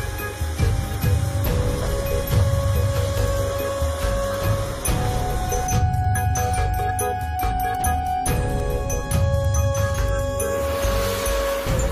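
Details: Steady background music with bright jingling notes and a low throbbing beat, plus faint traffic-like rumble; no animal voices stand out.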